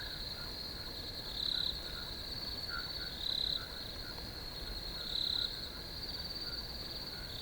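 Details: A field chorus of crickets makes a continuous high, ringing trill. Stronger bursts rise about every two seconds above a faint low rumble of ambient noise.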